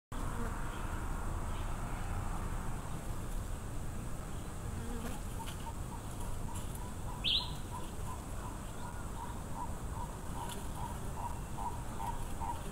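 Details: Wild Africanized honey bee swarm: a dense, low, steady hum fills the background throughout, while a bird repeats quick mid-pitched notes from about five seconds on and gives one sharp, higher call near seven seconds.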